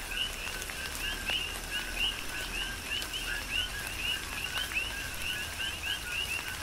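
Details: On the Big Island of Hawaii, a rhythmic coqui frog chorus rings out in falling rain: clear rising whistled chirps, each preceded by a lower note, repeating several times per second across overlapping callers, with patter of raindrops beneath.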